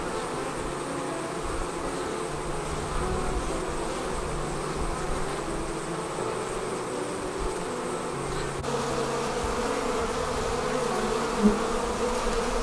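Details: Honey bees departing their hive and forming a swarm: a dense, continuous low buzzing hum with steady bands, unbroken across the recording, with a brief click near the end.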